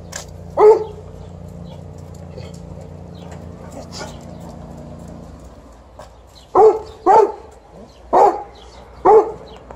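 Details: A single gruff bark from Liza the Alaskan Malamute, a long pause, then four fast deep woofs as she checks her returning sister after a riding lesson.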